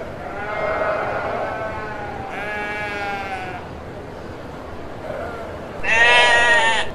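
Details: Kacang goats, male and female, giving three separate wavering bleats over about seven seconds, the last one louder and harsher, with steady background hiss between calls.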